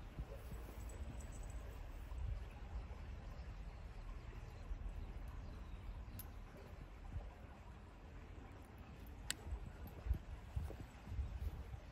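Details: Quiet outdoor rural ambience with a steady low rumble and a few faint clicks and taps. No clear animal voice stands out.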